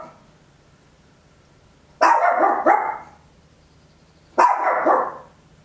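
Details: Loud barking from a small Papillon indoors, recorded at home on an Olympus LS-11 in stereo: a quick double bark followed about two seconds later by a single longer, rough bark, with silence around them.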